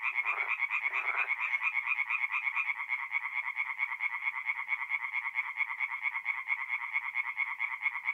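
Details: Singing tree frogs at a forest pond by night in April, North-East Italy; a rapid, very regular train of high pulsed calls dominates, with two short lower rasps near the start.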